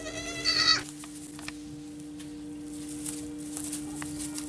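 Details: Baby goats (kids): a single loud, nasal bleat under a second long opens the recording, rich in stacked harmonics, followed by near quiet with a steady low hum and scattered soft clicks and rustles.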